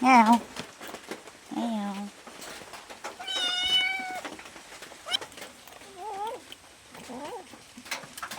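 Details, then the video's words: Pet cat begging for food, one clear sustained meow in the middle, flanked by short wavering human voice sounds and clicks in a quiet room. "Suara kucing minta makanan"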